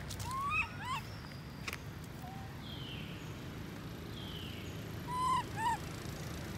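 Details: Baby monkey Lori crying after her mother Amari leaves her alone: a short rising harmonic whine, a small squeak, then two more plaintive upslurred cries near the end, with soft rustling and a low background hum.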